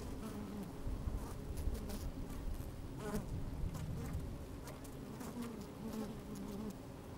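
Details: A thick, throbbing hum from honey bees crawling and occasionally buzzing inside an opened hive on a fine sunny day; low rumble dominates, with short wavering buzzy tones and scattered crackles of movement.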